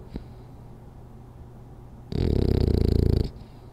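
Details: Rolly, a French Bulldog asleep, is quiet apart from a small sniff, then lets out one loud, buzzing, rapidly fluttering snore lasting about a second.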